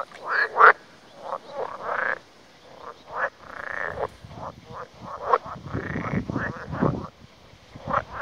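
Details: Frogs at a remote spot in Lithuania, away from people, croaking in a dense chorus: short, rasping, overlapping croaks in quick bursts, several callers calling at once with hardly a pause.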